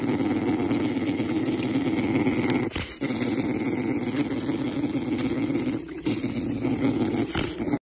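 Bear cubs hum in a steady, low, throbbing buzz that runs almost without a break.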